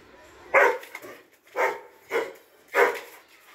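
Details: Doberman barking four times in a steady series, each bark a short, rough burst, while people nearby talk in Hindi about a monkey running off.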